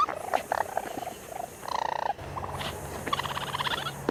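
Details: Raccoon giving short trilled, purring chirps in quick bursts, some mid-pitched and buzzy, with a steady low hum and soft hiss beneath.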